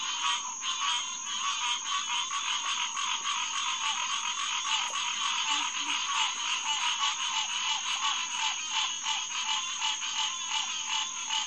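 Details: Hyla cinerea, the green tree frog, chorusing at Headquarters Pond, SMNWR, on the evening of June 2, 2021, 9:10 pm. Dense overlapping honking calls with strong harmonics throb rapidly and without pause, under a steady high-pitched whine.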